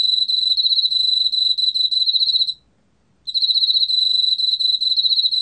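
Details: An Emma field cricket in Korea sings a bright, rapidly pulsed trill that stops briefly, then resumes; recorded in 2020.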